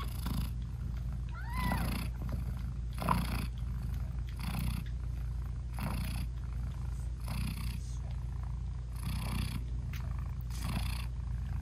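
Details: British Shorthair mother cat purring and talking to her nursing newborn kittens; a continuous low rumble swells with regular breathy pulses, broken early by a brief high wavering mew.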